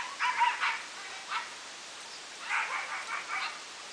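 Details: A husky named Talon in a wash tub, given a bath with a quiet hose sprayer. Brief yelping barks come in two bursts, the second a rapid run of four or five, against constant soft spray noise.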